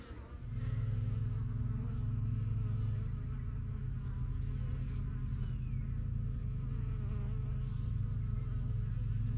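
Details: Honey bees around their yellow backyard hive, a first-year beekeeping colony from spring 2023; a bee passes close, raising a loud steady low hum after the first half second, sustained over a bustling background drone.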